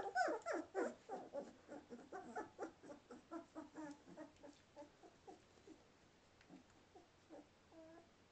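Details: Two-and-a-half-week-old Samoyed puppies indoors, waiting for their mother to come back and feed them: a quick series of short whimpering yelps, fading steadily from loud to faint over several seconds.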